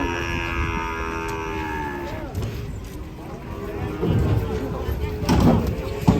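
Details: Cattle being unloaded from a truck, one of a group jumping down. A long, steady, low moo with a rich stack of overtones holds for about two seconds, then fades under excited human voices and handling noise.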